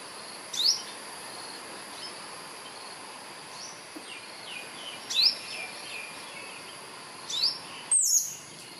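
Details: Albino squirrel calling for a mate from a Jamaican cherry tree: short, sharp, high chirps repeated about every two to three seconds, the last doubled, over a steady hissing background.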